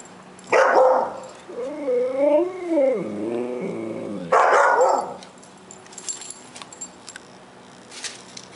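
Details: Siberian Husky vocalising while chasing a bee: a sharp bark, then a wavering, rising and falling howl-like moan lasting about two seconds, followed by another loud bark and faint rustling.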